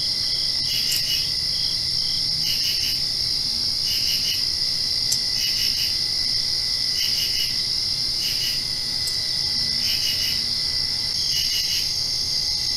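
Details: Post-rain nighttime crickets sing a dense, even trill, punctuated by bursts of three fast pulsed chirps repeated about every one and a half seconds throughout.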